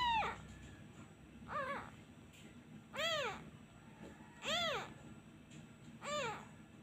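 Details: Abandoned kitten crying each time a comforting hand is taken away, missing its mother: five high, arched, slightly wavering meows, each about half a second long, repeated roughly every one and a half seconds over a quiet indoor background.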